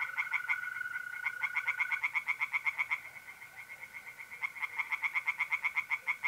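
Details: Night chorus of tree frogs in a pond, North-East Italy, mid-April: fast, evenly pulsed croaking series, pausing briefly and resuming, with the unbroken buzzing trill of mole crickets beneath.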